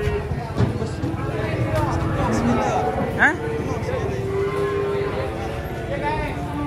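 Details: Cattle lowing while loaded onto a truck in Indonesia, steady drawn-out moos with a held tone, mixed with people talking and a constant low rumble of machinery.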